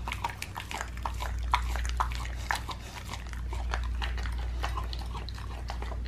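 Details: A pit bull gnaws a raw leg of lamb indoors, crisp cracking bites and slurping chews in uneven rhythm, with a few louder snaps and a low hum behind.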